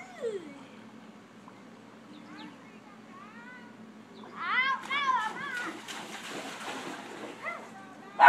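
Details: Scooter, a dog, barks at someone swimming in a pond, as he does whenever anyone swims or jet skis. A few high, yelping barks come first, then a loud rapid burst of repeated barks midway, over splashing water and voices.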